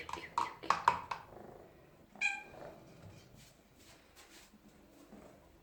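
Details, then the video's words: Adopted former stray cat, one of two brought home from a vegetable garden, marking 100 days indoors; a water-loving cat playing in the bathroom. Several short bright meows in the first second, another harmonic meow near two seconds, then quieter room noise. "길고양이 이야기 Adopted cat"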